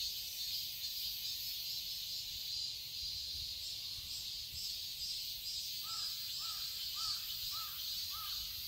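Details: Cicadas droning loudly in a summer garden in Seoul, Korea, a constant high buzz, while near the end a bird gives a run of five or six repeated arched whistled notes.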